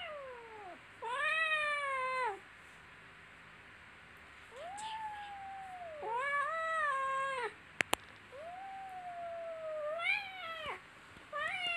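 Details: Little kittens playing and tussling, letting out a string of about five meows, some arched and falling, spaced by short silences, with a couple of sharp clicks between them.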